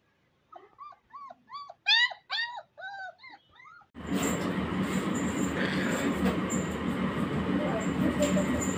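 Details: Rajapalayam puppies, recorded 27 May 2022, give a run of high, arching whimpers and yips, then loud rustling noise takes over.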